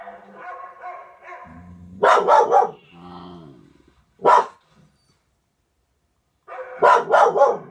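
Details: Indoor dog, part of a Norwegian Elkhound and German Spitz pair, barking in overexcitement at a dog on the television: a fast burst of four sharp barks, a single bark, then another quick burst, over quieter television sounds.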